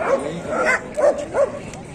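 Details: Dogs at the Kohat dog market in Pakistan, where Pakistani bully dogs and German shepherds are shown, 28 November 2021; a few short yelping barks in quick succession, with people talking nearby.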